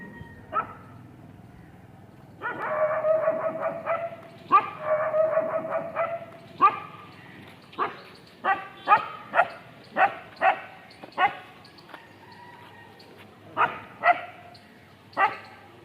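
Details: A dog barking in a steady run of short, sharp barks, about two a second, with some longer harsher bursts early on and a few brief pauses between volleys; little other sound.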